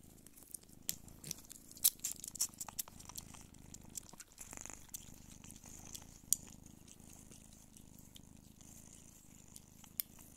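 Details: Nursing Don Sphynx mother cat Pūkė with her kittens: a faint low purr hums underneath frequent sharp clicks and smacking suckling sounds, with a brief rustle midway.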